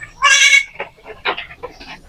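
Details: Goat on a farm during the daily routine of herding goats gives one loud, high, wavering bleat lasting about a third of a second, followed by people talking nearby.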